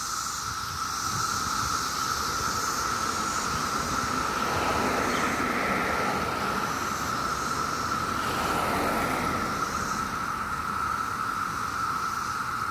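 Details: Loud continuous drone of countless 17-year cicadas filling a Maryland street on a summer day, a single sustained whining tone throughout, twice swelling under broadband rushing noise from passing traffic.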